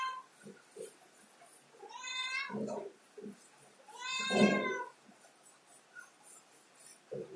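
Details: Cat on a ladder calls twice, two drawn-out meows about two seconds apart, accompanied by low thumping and scrabbling sounds indoors.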